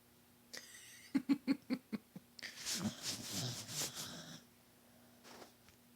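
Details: Bodog, a sleeping bulldog, snoring: a run of rough, rasping, snorting breaths of about two seconds, preceded by a quick burst of human giggling laughter.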